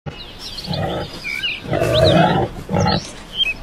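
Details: A wild boar (Sus scrofa) gives three deep, rough grunting roars, with faint bird chirps in the background.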